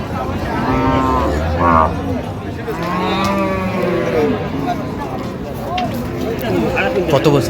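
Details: At the Raniganj livestock market in Dinajpur, 23 October 2025, cows with calves give several short moos, some rising and bending, mixed closely with men's talk about price amid a busy crowd.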